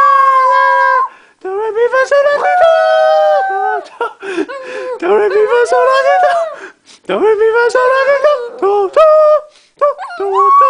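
A Shih Tzu howls in long, wavering, tuneful notes that slide up and down in pitch.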